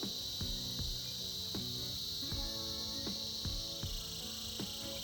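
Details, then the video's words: Winter chorus of cicadas, one unbroken shrill buzz running throughout, layered over instrumental music with sharply struck tonal notes repeating at an uneven pace. "Buzzing sounds of Cicadas"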